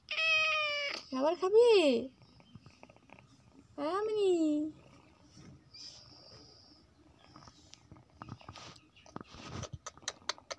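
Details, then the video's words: Mini, a pet cat, gives two wavering meows early on, then the room goes quiet apart from soft clicks and rustling. "Our cat Mini#cat is so cute."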